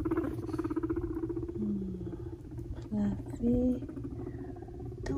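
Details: Two five-month-old male guinea pig brothers, Fluffy and Cocoa, fighting indoors as one bothers the other; a low rapid rumbling pulse gives way to short tonal squeaks and chirps, some rising, over a steady low hum.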